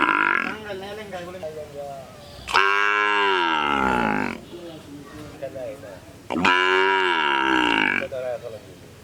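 A cow gives two long, loud moos, each sliding downward in pitch, with voices murmuring between them.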